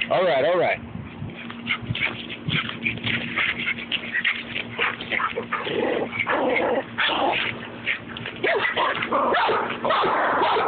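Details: Rat Terrier Babygirl playing rough with another dog, Levi, at home: a rising-and-falling whine opens, then a dense stream of growls and yips with a person urging them on, saying all right, get it.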